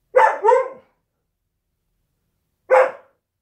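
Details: Husky kept as a pet indoors barks during a work-from-home day: two quick, tonal, slightly rising yips in close succession, then a pause of about two seconds and one more bright bark.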